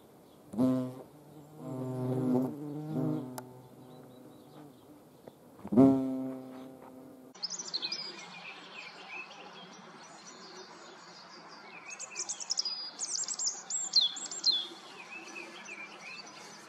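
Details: Hornets filmed while being hand-fed in the Eifel, Germany: several seconds of low, pulsing flight buzz rising and falling in bursts, then the scene switches to a quieter outdoor background with high chirping birds.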